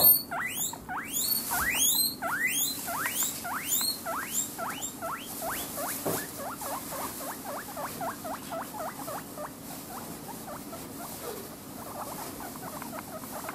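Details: Two pet guinea pigs, Maro and Momiji, squealing when the fridge opens in hope of vegetables: a rapid series of loud, high whistled wheeks, each sweeping sharply downward, repeated about twice a second and fading to softer calls.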